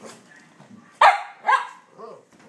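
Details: Cavalier King Charles Spaniel objecting to a toy dog on a box in his house, seen as an intruder: two loud, sharp barks half a second apart, then a soft whine and quiet human voice.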